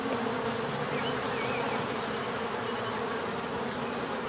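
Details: Bees buzzing in a steady, dense hum, a low droning texture with a faint continuous high whine above it and a few soft, brief chirps drifting through the middle of the recording.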